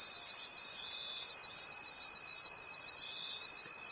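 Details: Night forest crickets forming a continuous high-pitched trilling wall of sound, pulsing gently in loudness about once a second, with a faint steady whine running through it.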